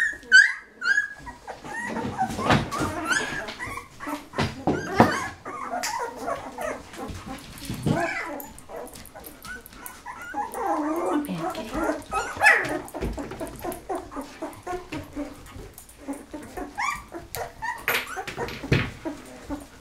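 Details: Thirteen-day-old Golden Retriever puppies from Penny's litter of eleven, eyes just opening, make a busy mix of thin whines and yelps over shuffling and handling noise, calls overlapping throughout.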